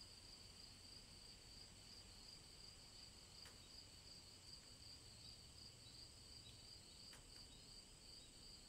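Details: A chorus of cicadas on a summer day in the woods holds a continuous, high, buzzy shimmering drone, lightly pulsed in a quick, even rhythm, over a faint low background rumble.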